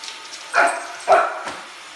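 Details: Two quick, shrill barks from Oliver the Shih Tzu puppy, upset with a Roomba vacuum, followed by a faint third yip, over a low droning motor.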